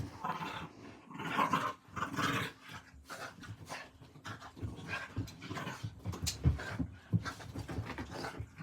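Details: Two playing dogs, seven and five months old, indoors late at night at 11:40. Low, rumbling growls and huffs run almost continuously, with breathy panting between rough bursts and a few sharper snarls near the end.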